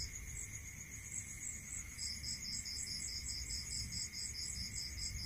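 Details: Cricket song heard at night in rural surroundings, a high continuous trill joined after two seconds by a second, lower pulsed trill repeating steadily, over soft low background noise and a faint constant tone.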